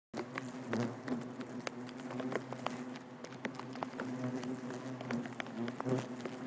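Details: Bald-faced hornets buzzing during nest removal in Nassau County, Long Island, New York: a dense, continuous low hum from many insects, overlaid with crackling, tapping and scraping noises.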